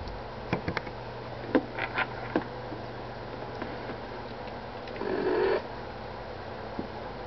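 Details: Minnie, a mother cat nursing her month-old kittens indoors, gives one short steady mid-pitched call in the middle of a quiet room, with scattered soft clicks and light rustling around it and a low hum underneath.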